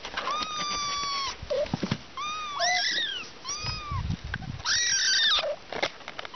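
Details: Kittens, three of them alongside their mother, giving clear high meows, first a long level one, then shorter arched and rising mews in quick succession, with soft rustling between calls.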